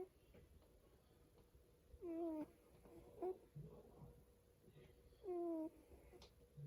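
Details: Domestic cat asleep and dreaming makes loud squeaky snores: two clear nasal, slightly rising tones a few seconds apart, with quieter breathy sounds between and a low room hum.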